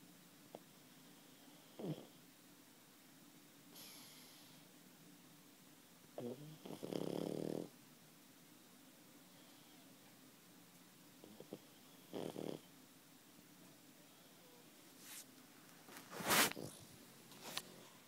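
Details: Pug asleep, snoring in short rasping bursts roughly every five seconds, one louder buzzing snore in the middle, plus a few soft snuffles and a sharp click near the end against a quiet indoor background.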